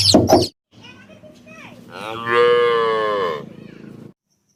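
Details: Cow mooing: after a loud burst of other noise, a harmonic-rich moo swells and holds for over a second, then fades into a low murmur.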